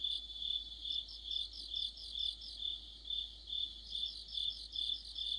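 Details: Crickets with other insects forming an autumn orchestra near a streetlamp: shrill pulsed trills repeating roughly every half second, overlaid by a higher stuttering chirp, nothing else audible.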